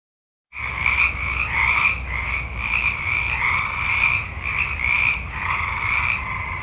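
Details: Many frogs calling at night in a forest: after a half-second of silence, a dense chorus of overlapping croaking pulses in two bands, one low and one mid-high, swelling and fading, over a steady high-pitched hum.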